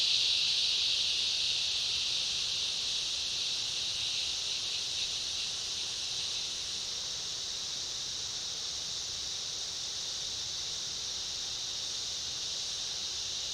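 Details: Cicadas and other insects in chorus in a summer rainforest: a steady high buzzing drone with a brighter piercing layer in the first few seconds, fading slightly and then steady.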